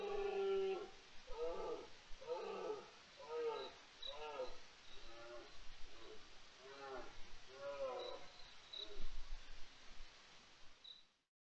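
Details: A European wildcat (Felis silvestris) on 29 September 2023, during the deer rut, gives a run of short, harsh, wavering yowls, each rising then falling in pitch.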